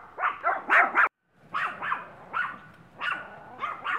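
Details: Missy, a year-old Maltese who enjoys other dogs' company, available from a Brooksville, Florida rescue: rapid high yaps in a quick cluster, a short silence, then spaced single barks about every half second.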